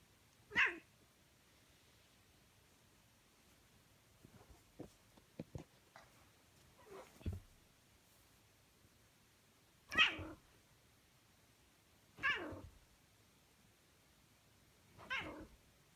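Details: Fighting cats: several short, explosive hiss- or spit-like bursts spaced a few seconds apart, with faint clicks and rustles between them.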